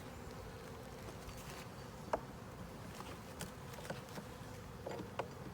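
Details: Honey bee colony buzzing steadily during an inspection of a 10-frame deep hive body with a honey super. The drone is continuous, broken by soft taps and brief clicks as frames are handled.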